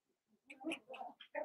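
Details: Blenheim Cavalier King Charles Spaniel puppies, part of a litter of five born on New Year's, in an indoor puppy pen at Red Barn Cavaliers; a short run of high, squeaky whimpers and whines in quick succession.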